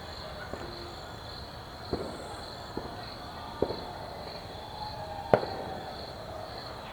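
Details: Crickets chirp loudly in a continuous, high, evenly pulsed trill through a suburban New Year's night, while distant fireworks crack and thud irregularly and faint tonal sounds drift in the background.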